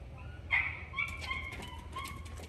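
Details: Shiba Inu Ranmaru at a pet hotel for a shampoo and nail trim, bursting with joy as family reappears; short high-pitched whimpering whines with tonal, wavering notes, a sharper squeal near the start, amid faint indoor background hum.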